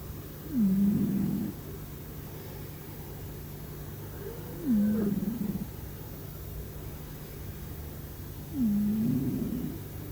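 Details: Sleeping domestic cat snoring: low, rough breaths about every four seconds, each opening with a short squeaky nasal tone before a raspy rumble, over a steady low background hum.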